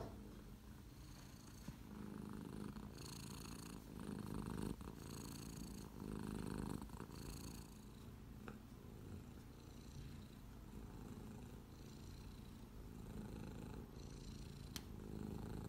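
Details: Domestic Shorthair cat available for adoption, purring steadily throughout in a continuous low rumbling vibration with rhythmic breathing pulses, plus occasional brief rustles and a faint higher hum.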